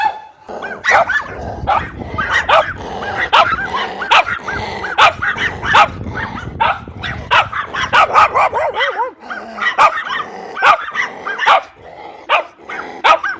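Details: Group of dogs barking, the recording mixing breeds such as Labrador retriever, German shepherd, poodle and pug; dense overlapping sharp barks and yips, some whimpering arcs, steady chorus with a low rumbling background over the first two-thirds.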